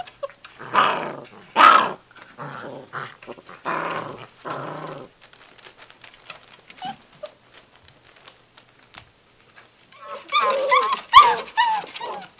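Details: Gordon Setter puppies, six weeks old, playing roughly in a living room. Rough, noisy growls and scuffling bursts come first, then a quiet stretch with faint squeaks. A loud burst of mixed growls and yelps closes the clip.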